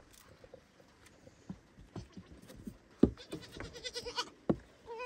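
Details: Baby goat calling loudly for its mother at a barn: a brief, high, wavering bleat near the end, then another starting, amid clattering knocks and shuffling farmyard noise.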